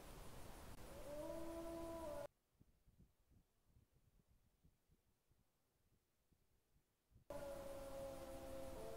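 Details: Wolf howling on 20 September 2022 around 21:09, one animal close by and another far off; steady, drawn-out tonal howls with a clear overtone, heard at the start and again near the end, with a silent gap between.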